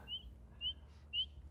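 A spring peeper gives clear, high, slightly rising peeps, about two each second.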